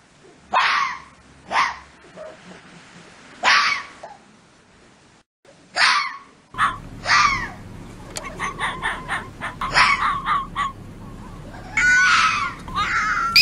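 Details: Fox calls linked to the mating season, when foxes call out to each other: several sharp, hoarse barks or screams spaced about a second apart, followed by a denser run of shorter harsh calls and rising yelps.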